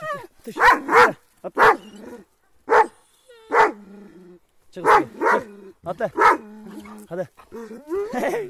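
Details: Attacking Kangals give harsh, broad barks in pairs and singles between short gaps, with tonal whining notes trailing after some barks and voices mixed in.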